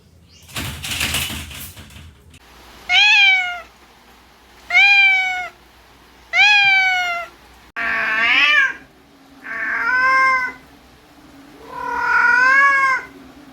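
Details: Stray domestic cats from a household of fifteen adults and eight kittens: after a brief noisy burst, six loud meows about every two seconds, the first three clear and falling, the later ones harsher and more nasal.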